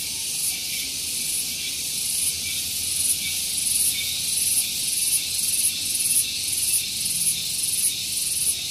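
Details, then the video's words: Loud morning cicada chorus at Gunung Geulis near Bogor, West Java, recorded close to a vehicle parking area: steady high shrill buzzing with regular pulses, roughly one or two per second, growing more distinct toward the end. "Santuy Pagi Ditemani Suara Tonggeret"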